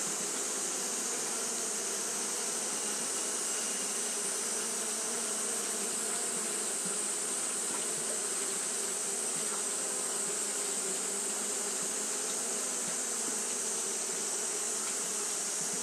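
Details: Japanese honey bees fanning continuously on a hot day: a steady, dense droning hum with low humming bands and a bright hiss above, unbroken for the whole stretch, no other sounds.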